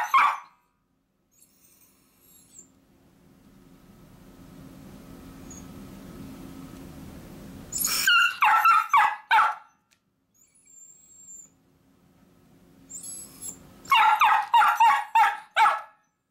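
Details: Two pet miniature dachshunds, Choco and Kuu, barking because they want to go along when their owner heads off to work: sharp, rapid yappy barks in two bursts of about five each, separated by several seconds of near silence.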